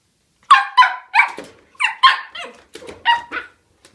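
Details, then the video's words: Shetland sheepdog puppy under five months old, indoors, giving a fast string of seven or eight high, slightly rasping barks, each short and sharp, spaced about half a second apart. "シェルティのシェリー ５ヵ月までまとめ動画 Sheltie puppy"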